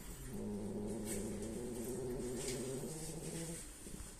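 A French Bulldog snores with a long, low, fluttering rumble.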